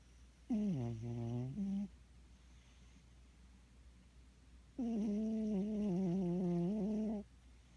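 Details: A cat asleep, snoring in two drawn-out, nasal, tonal breaths that waver slightly in pitch, the second lasting over two seconds, separated by a quiet gap.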